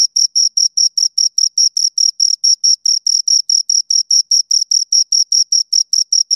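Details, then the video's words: Two crickets chirping steadily in a clean, isolated recording: high, shrill pulses repeated about five times a second in an even, unbroken rhythm, with silence between and no other sounds. "Two Crickets Chirp Sounds"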